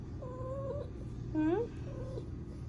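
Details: Female domestic cat in heat, giving short, soft, wavering meows, one sharply rising in the middle, over a steady low hum.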